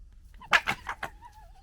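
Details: A red fox from a local wild fox family gekkers while fighting and arguing, giving a quick burst of four harsh, raspy chattering notes.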